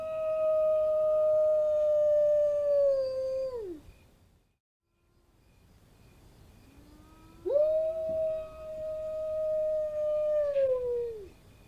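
Wolves give long, steady howls that hold one pitch and then slide downward at the end.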